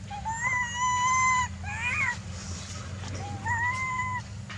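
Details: Young macaque Jinx wailing while her mother weans her at Angkor, Cambodia: long, steady, clear-toned cries, a brief wavering squeal between them, then a final shorter wail over a low steady hum.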